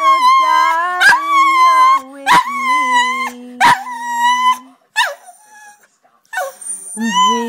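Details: Pet dog singing along with its owner: drawn-out, steady howled tones with rich overtones, broken by several sharp bursts and a short wavering tail, mixed with a person singing a love song.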